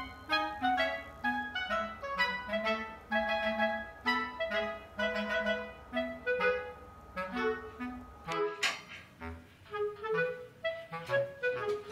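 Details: A clarinet melody plays with other instruments and no animal sound.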